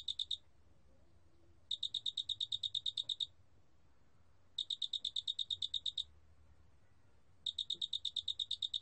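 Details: Shrill pulsed trills of a Doenitz's cricket, recorded in 2020 by the National Institute of Biological Resources: a clipped train opens, then three full bursts of quick, evenly ticking high notes alternate with brief silences.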